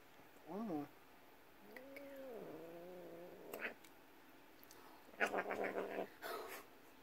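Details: An angry Bengal cat resisting claw clipping gives a warning bite, with wavering, drawn-out yowls and rough, hissing growls as a warning.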